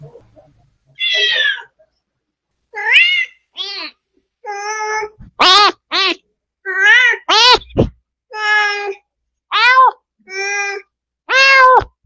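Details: Mother cat Mideok, a spayed female in a recovery room after surgery, meeting her kittens: about eleven separate high, clear meows over twelve seconds, some rising then falling, spaced irregularly with short silences between.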